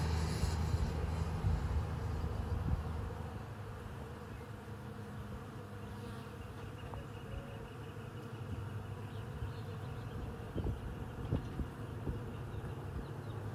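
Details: Honey bees buzz around a fragrant tree on a homestead: a continuous low droning hum of many wings, steady, with slight swells in loudness and faint higher overtones.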